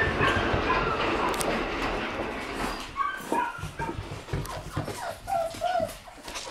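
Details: Shiba Inu dogs, among them Tora born June 10 and companions born in June, whine in short, squeaky, bending notes that grow clearer after a noisy, rushing opening, with scattered yips and soft background rustle.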